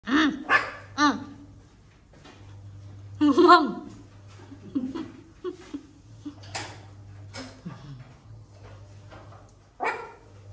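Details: Puppies playing, giving short, high yapping barks in quick bursts at the start and again near the middle, with a low steady hum underneath and scattered knocks and clicks between the calls.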